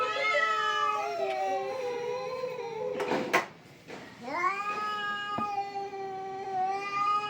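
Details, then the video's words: Two domestic cats fighting: drawn-out, wavering yowls that rise and fall, interrupted midway by a harsh hissing burst, then a renewed rising howl; people shouting to drive the cats away. "My cat's VS another cat funny fight videos"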